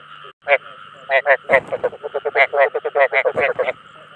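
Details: Ếch đồng, the Chinese edible frog, calling to lure others of its kind. Dense, overlapping raspy croaks of uneven loudness tumble out rapidly, several callers at once, over a faint continuous hum.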